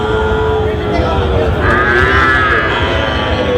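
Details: Sahiwal bull calves at a cattle market in Tangail, Bangladesh, on 16 October 2025: overlapping drawn-out moos, one rising and falling in the middle, over a steady crowd murmur and traders' voices.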